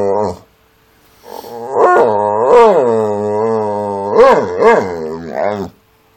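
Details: Pitbull XL and Amstaff XL mix at 7 in the morning, insistently demanding to go into the back garden: long wavering harmonic howls with rising and falling pitch, broken by short yelping bends, in a loud indoor setting.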